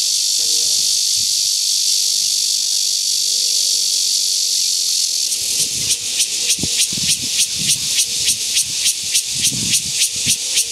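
A cicada's high, hissing drone shifts into a pulsing buzz, about three pulses each second.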